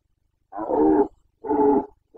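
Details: A rutting Carpathian stag in Bucovina, breeding season 2021, gives two loud, strongly harmonic roars of about half a second each with a short gap, and a third begins at the end.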